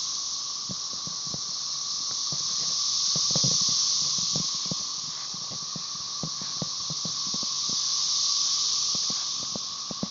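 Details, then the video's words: Brood XIX chorus of Magicicada tredecassini, M. tredecim behind, at Tyler Bend Park near Marshall, Arkansas, May 30, 2011: an unbroken shrill hiss that swells and fades twice in waves, with scattered soft ticks and taps throughout. "Periodical cicada "cassini" chorus"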